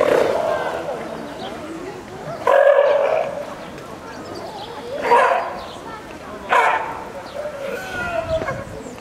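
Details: California sea lion at Wuppertal Zoo, Germany, giving loud hoarse barks in separate bursts, around three or four over nine seconds, each a short rough blast, with visitors' voices and crowd murmur beneath.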